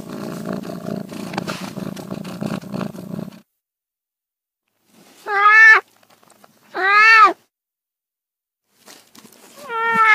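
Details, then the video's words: A few seconds of rumbling noise, then silence, then house cat meows: two short, arched, bright meows about a second apart, and a third starting at the end. "30 minutes of Cats' Meow"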